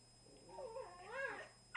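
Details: Two Cavalier King Charles Spaniels, a 2-year-old black and tan male and a 1-year-old tricolour female, in a gentle play session; one drawn-out, wavering, moaning whine that rises and falls in pitch over under two seconds.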